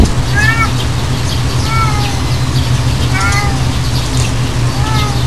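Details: An unidentified cat gives short, slightly falling meows with faint harmonics, in four bouts spaced about one and a half seconds apart, over a steady low hum.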